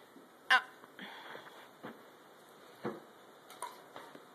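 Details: White German Shepherd Dog named Joshua, indoors just after a shampoo while someone tries to brush him: one sharp, loud bark, then a few softer, scattered short sounds in a quiet small room.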